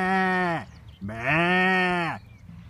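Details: Lamb bleating twice: a short, steady, voice-like bleat of about half a second, then a longer, fuller, slightly wavering bleat lasting over a second, with a quiet pause between and no other clear sounds.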